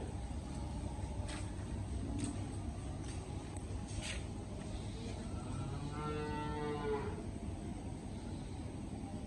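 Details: Cow on a farm after the sale of its herd, cattle being loaded and leaving: a single drawn-out, tonal moo of under two seconds midway through, over continuous low engine-like rumble and a few faint clicks.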